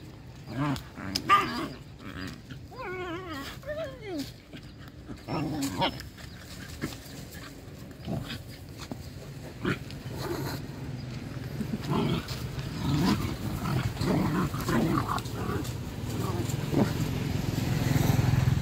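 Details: Stray dogs playing and digging together happily. Short low growls and scuffling, then a run of high whiny yelps that slide downward, followed by rustling, digging noises and a human voice in the background.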